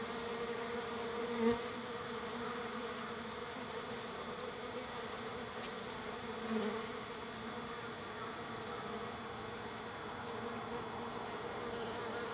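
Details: Large numbers of wild bees at a feeder on the third day of feeding, producing a continuous low droning buzz with two brief louder swells as individual bees pass close by.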